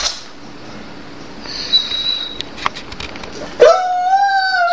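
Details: Jade, a Dobermann, complains that she wants a different, tastier food. After quiet rustling and a faint high tone, a sudden loud harmonic whine starts and holds steady to the end, indoors.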